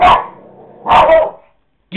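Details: Pet dog indoors barking at a dog shown on a computer screen; two sharp, loud barks about one second apart, the second longer and rougher, then a person's voice begins urging it on.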